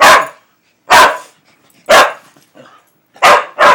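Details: Pet dog barking hard in reaction to hearing the NASCAR driver name Kasey Kahne: five loud, sharp barks in irregular bursts about a second apart, the last two close together, with brief quiet gaps between.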